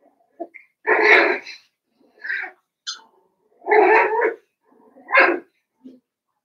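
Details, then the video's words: Five-week-old Cavalier King Charles Spaniel puppies in their pen: a string of high whiny yelps and whimpers, several longer cries about a second each, spaced irregularly with short squeaks between. "Cavalier King Charles Spaniel Puppies"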